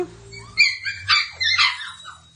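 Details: Australian Cattle Dog puppies from a working line in Piedmont, Italy, born November 2022, indoors; high thin whimpering yelps come in three quick bursts, with a faint low hum beneath.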